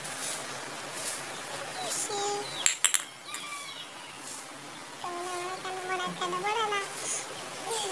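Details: Cute kittens give thin, wavering mews that rise and fall. A few clattering knocks come in the middle, followed by a run of overlapping meows in the second half over a soft background hiss.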